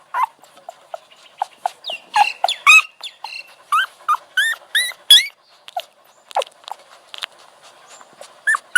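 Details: Scattered soft puppy squeaks build into a louder cluster of sharp, arching whines midway, then thin out into sporadic short whimpers against a low steady hum.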